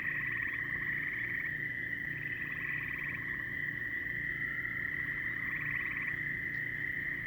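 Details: Many frogs calling together: a steady high trilling band with overlapping pulsed, rattling calls rising and falling in bursts, over a low continuous hum.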